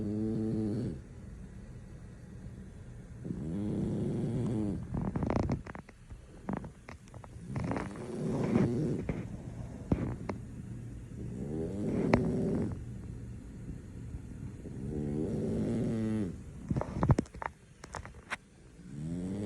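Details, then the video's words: Sleeping male French Bulldog in deep slumber, snoring in low, rasping, droning bursts that swell and fade roughly every three to four seconds, with a few sharp clicks and snorts between breaths. "French Bulldog snoring, nothing can wake him up"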